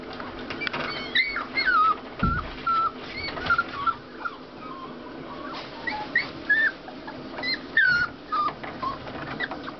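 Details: Five-week-old puppy whimpering in thin, high squeaky whines that rise and fall, arriving in short clusters separated by brief pauses, over a steady low background hiss with an occasional soft thump.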